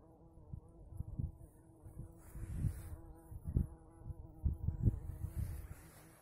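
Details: Very large female bumblebee in early spring in the Urals, with only willow in bloom to feed on; continuous low humming drone with stacked harmonics, interrupted by soft bumps and handling thuds.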